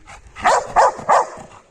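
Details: Labrador Retriever during basic training at home, barking on the command 'Speak'. Three loud, sharp barks come about a third of a second apart, with softer huffs between them and a trainer's spoken commands nearby.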